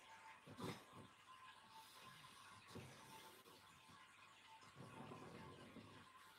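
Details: A male pug sleeping in his winter dog bed on the sofa snores in soft, rasping breaths about every two seconds, over a faint steady background tone.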